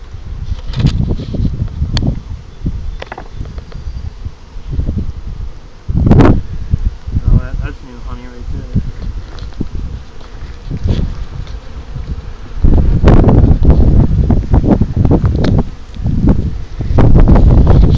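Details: Low, dense buzzing of bees around a hive being inspected in April 2012, broken by bursts of louder handling and rustling, with brief speech nearby.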